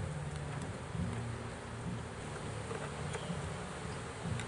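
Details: Bees taken from a swarm trap that caught its first swarm, heard as a thick, low buzzing drone with uneven swells and a few faint taps.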